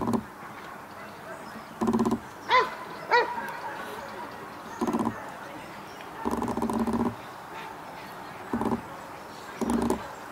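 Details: Dog Cobra van de Amorhoeve in protection work at the NIK 2016 dog sport trial, scored 78 points; short harsh barks come in separate bursts, some quick doubled volleys, about six over ten seconds, with two brief rising cries between them.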